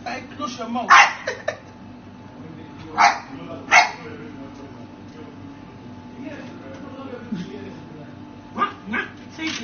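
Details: Chihuahua barking in a compilation of funny pet moments: a few sharp, high yapping barks, one close pair then two more about a second apart, over a steady background hum with people talking between barks.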